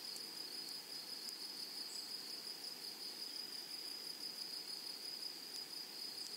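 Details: A continuous thin, high buzzing from grasshoppers in flowering prairie grassland, with small rapid ticks layered on top and a few brief clicks. Gentle broadband hiss sits underneath and no other callers are heard.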